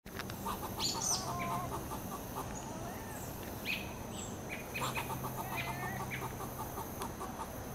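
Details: Squirrel talking to a cat: two bursts of rapid, dry chucking notes in quick succession, each run lasting over a second, over a steady low hum and broad background hiss, with a few faint chirps above.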